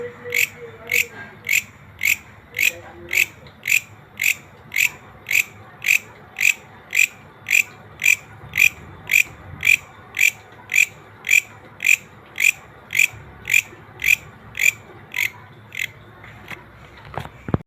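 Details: Green grasshopper in nature producing about thirty dry, ratchet-like pulses in steady rhythm near two per second, a few faint chirps early on and a soft knock at the very end.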